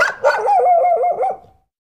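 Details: Domestic dog giving one long, tonal, slightly falling yelp-like call that lasts about a second and a half before fading out, with no other sounds.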